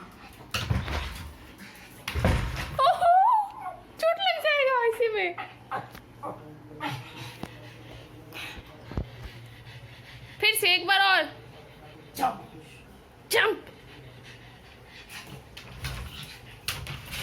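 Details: Lucy, a Pug puppy, kept indoors, gives a few high, wavering whines that rise and then slide down. They come in two bursts, early and again near the middle, between thumps, rustling and low room noise.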